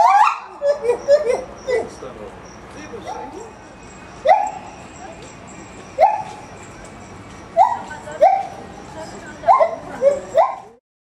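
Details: Gibbon at Maruyama Zoo, filmed 4 September 2010, singing while brachiating along branches, its voice carrying widely across the zoo: loud rising whoops with bright harmonics, repeated about every one and a half to two seconds.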